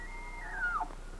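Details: A live Rocky Mountain elk in the western mountains in September, at the start of the rut, gives a high, clear whistle that slides steadily downward and breaks off.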